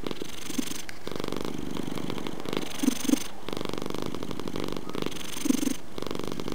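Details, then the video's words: Domestic cat purring steadily: a continuous low rumbling drone broken by short pauses every one to two seconds, with a few soft louder pulses riding on the rumble. "Purring Purr Cat"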